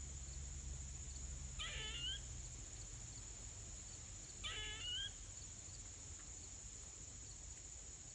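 A squirrel gives two short, harsh screeches a few seconds apart over a steady insect hum.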